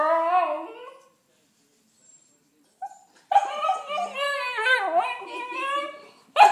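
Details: Siberian Husky pup, female, crying while shut out of the house after rolling in mud: tonal harmonic whines with wavering, falling pitch, a one-second cry, a pause, then a longer run of wobbling howl-like wails.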